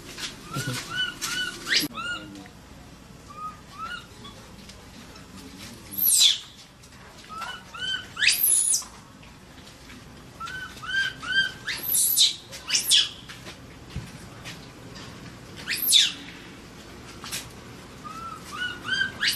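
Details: Baby Asian macaque, trapped, scared, crying and calling for help: shrill, arching whistle-like screams with rich overtones, in bursts every two to four seconds, mixed with short upturned squeaks and soft clicks between cries.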